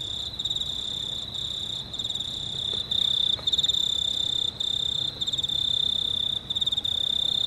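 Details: Several crickets chirping at night beneath a near-full moon on 19 March 2019, high pulsed trilling in rapid bursts, about four per second, growing louder midway, over a quiet low hum.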